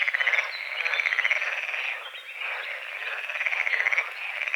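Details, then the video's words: Morning frog chorus at a small lake beside the forest at dawn: dense, continuous rattling croaks with pulsed bursts at start and end, a steady wall of overlapping calls. "The sounds of morning frogs croaking"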